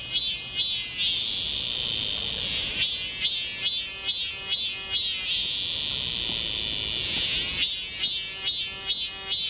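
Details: Cicada singing loudly in Galsan Park forest, Mokdong, Seoul, in summer; long sustained shrill buzzes broken by bursts of rapid rhythmic pulses, about two per second, then another long drone and more pulsing, over a background insect chorus.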